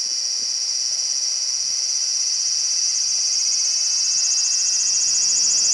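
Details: Large brown cicada clinging to a window screen at home on 2 August 2012, singing a loud continuous sizzling drone centred high, with a steady fast pulsing texture that grows slightly louder toward the end.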